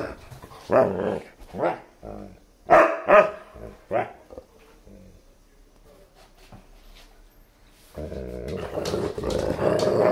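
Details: German Shepherd and Siberian Husky puppy playing together with a new chew toy: bursts of short growly barks and yelps over the first four seconds, a quiet pause, then loud rustling and scuffling noise.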